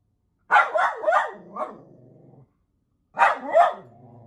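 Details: Miniature poodle barking at TV animals: a rapid run of four barks fading into a low rumble, a pause, then two more sharp barks with a trailing growl.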